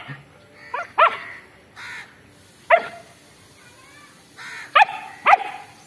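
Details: Long-coated German Shepherd reacting after seeing a stray dog it wants to fight; short, sharp barks come in uneven bursts, some doubled, with brief whiny yelps between them over a quiet background.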